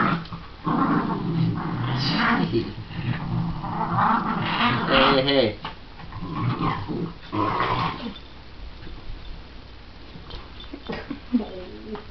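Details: Cooper, a shih tzu/pomeranian mix, and Millie, a miniature schnauzer, play-fighting as friends; throaty growls and snarls run in long bursts, broken by short yappy barks and brief quiet gaps.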